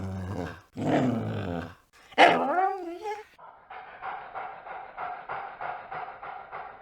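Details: A dog vocalizing in several ways: a low rough growl, a brief high whining yelp that rises then falls, then a quick run of soft, rapid, repeated huffing pulses.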